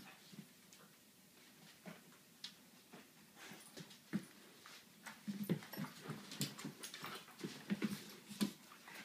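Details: Dunrovin puppies Ohso and Kola playing together: brief, soft low whimpers and grunts scattered through the play, with sharp scuffling and tapping noises between them, growing busier in the second half.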